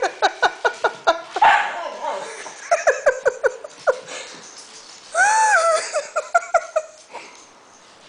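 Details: A puppy annoying an older seven-year-old dog indoors: a rapid run of sharp barks, a pause, more quick barks, then a louder drawn-out whining howl and a few final yips.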